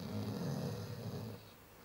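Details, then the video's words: Chow Chow dog asleep, giving one long low rumbling snore that holds steady for over a second, then fades into quiet breathing. "Собака Чау-чау храпит"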